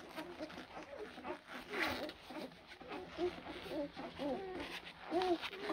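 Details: Several blue Great Dane puppies born April 2023 give thin, rising-and-falling whines, scattered and overlapping, with a few brief sharper squeaks above a soft, steady background hum.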